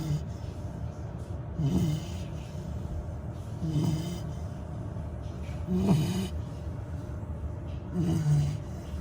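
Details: A sleeping female Labrador Retriever puppy, just over 100 days old, snores in low, rumbling breaths about every two seconds.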